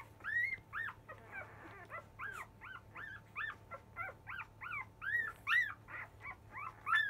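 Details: Five-day-old Labrador Retriever puppies of a field line fuss loudly as they start to nurse: a dense run of high, arching squeaks and whines, several overlapping, repeating roughly every half second with a steady low hum beneath.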